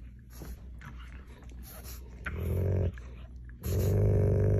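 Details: A pug and a German Shepherd indoors while the pug steals the shepherd's bone; low rumbling growls fill the low end, with a stronger, steadier growl swelling near the middle and again toward the end, plus faint scuffling.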